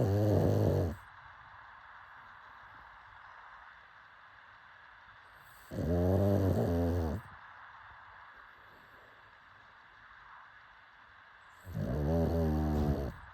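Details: A sleeping pug snores in three short, deep, rumbling bursts about five to six seconds apart, each lasting roughly a second, with quiet breathing between them.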